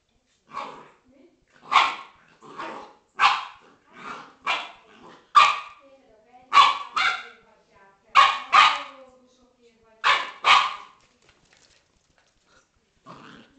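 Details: Corgi and Scottish Terrier playing together, loud sharp barks in about a dozen bursts, some doubled, spaced roughly every second, with brief pauses between volleys and a last yip near the end.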